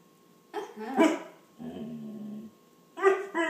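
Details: A female German Shorthaired Pointer makes a run of whiny, talking-like vocalizations, seemingly saying "please" and asking for something; her owner wonders if she wants a drink.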